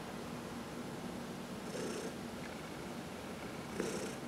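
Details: Domestic cat, one of four at home, purring under a massage. A soft, constant low purr with two breathy swells is heard, along with faint stroking noise.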